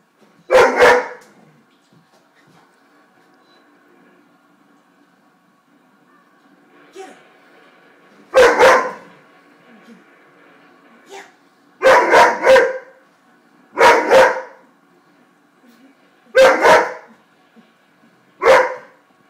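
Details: Weimaraner dog indoors barking at a buffalo shown on a television programme, 4 March 2012: sharp single and doubled barks at irregular intervals of one to four seconds, with faint television sound between them.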